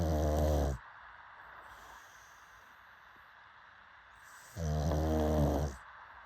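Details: Sleeping pug gives two loud, throaty snores with buzzing low harmonics, separated by a long, near-silent gap of roughly four seconds.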